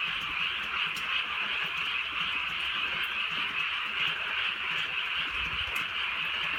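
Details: Countryside night in gentle drizzle, with many frogs croaking together in a steady, unbroken chorus of fast pulsing calls, with occasional faint clicks and a low rumble near the end.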